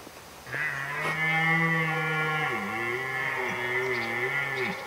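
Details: A red deer stag in autumn rut at Krasny Bor, Belarus, gives a long, deep, harmonic rutting roar that drops lower and groans in waves.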